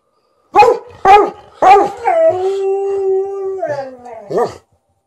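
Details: Thirteen-year-old Golden Retriever indoors vocally demanding more petting while a Malamute objects: three sharp harmonic barks, then a long, steady, slightly wavering howl lasting about two seconds, ending in a short bark.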